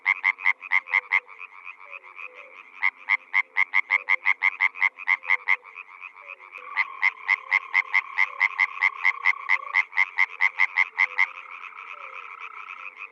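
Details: Water frog, also called a rice-field frog, giving bursts of rapid rasping croaks separated by brief pauses. A longer run follows, accompanied by a steady droning tone beneath the pulses, with a faint low hum throughout.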